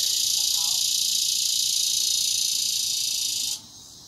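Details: Cicadas in Broken Arrow, Oklahoma, in August 2020: a dense, steady buzzing drone of many calling together, cutting off abruptly near the end, with a big dog heard.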